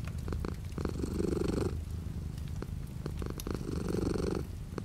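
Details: Purring domestic cat with light rain outside; two louder rumbling surges separated by a quieter, thinner stretch of purr, soft drops ticking faintly behind the low vibration.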